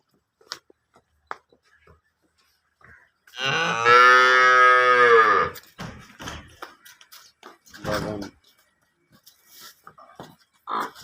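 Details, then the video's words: Nili-Ravi buffalo in Pakistan, offered for sale: a single loud, drawn-out harmonic bellow lasting about two seconds mid-clip, with scattered faint clicks and distant voices around it. "Beautiful nili Ravi buffalo"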